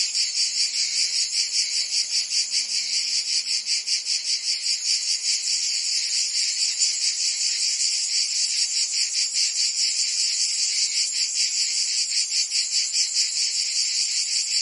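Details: Cicadas in a Provençal summer, France, fill the air with an intense shrill buzzing that throbs in rapid regular beats, while a faint low hum sounds briefly near the start.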